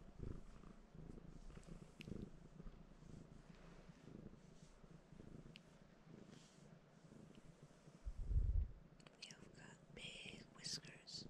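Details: House cat resting on a person and asking for petting, giving a low, even purr under quiet whispered speech, with a louder rumbling thump partway through and rustling toward the end.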